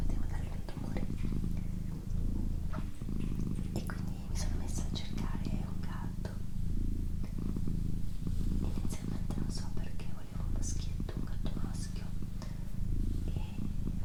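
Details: Steady, low purring from a female pet cat in a small indoor room, rhythmic and unbroken apart from short breath gaps, accompanied by gentle whispering and occasional soft clicks and rustles.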